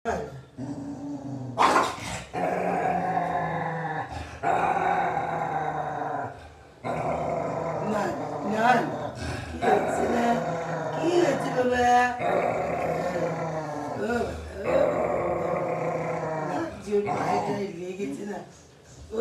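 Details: Cocker Spaniel; growl; aggression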